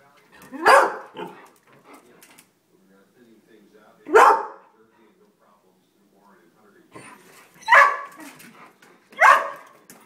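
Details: Pet greyhounds finding a squirrel at the bird feeder give four loud single barks spread over ten seconds, with faint low background murmur and small noises between them.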